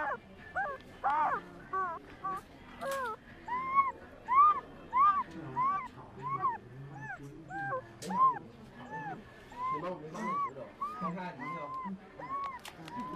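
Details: Dreaming puppy, a young male, squeaking in his sleep: high, arched little whimpers repeated steadily about every 0.6 seconds, a few sharper yelps early on, faint low murmuring sounds beneath.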